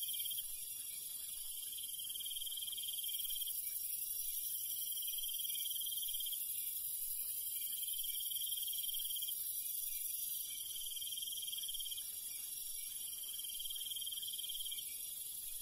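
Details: Crickets and night insects in the countryside at night: repeated bursts of a high pulsing trill, each lasting one to two seconds, against a steady piercing insect hum and soft low background noise.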